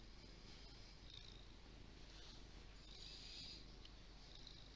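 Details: Lee, a large fluffy domestic cat, gives a soft, even, low purr that runs without a break, with faint rustling above it.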